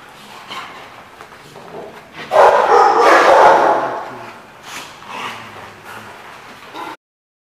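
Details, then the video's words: Dog at The Barking Lot, recorded 20 March 2015, giving a loud, harsh burst of rapid barks lasting about a second and a half, then quieter, spaced yips and barks over a low background hum. "The Barking Lot"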